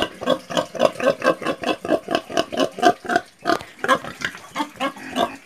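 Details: Fast run of pig oinks, roughly four short grunts each second, low and nasal, with a short gap before a second burst.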